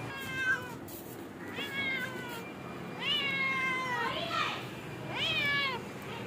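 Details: A cat gives a quick run of about five meows in six seconds. Each is drawn-out and slightly wavering, arching up then falling away. A soft low rumble sits underneath.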